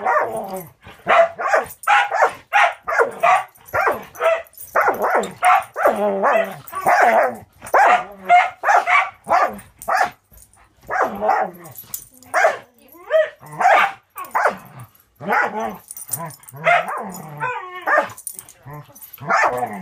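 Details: During a long play session between Angel, a six-month-old Border Collie mix fostered with Wisconsin Border Collie Rescue, and a dog named Cisco, rapid excited barks and yips run almost nonstop, dozens in twenty seconds, thinning slightly toward the end.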